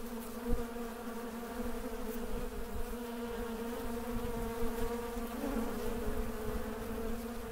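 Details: Steady drone of honey bees in Mandore Garden, Jodhpur, Rajasthan, 12 February 2017, a rich low hum with several harmonic layers, loudness pulsing slightly as bees fly close, and a soft knock near the start.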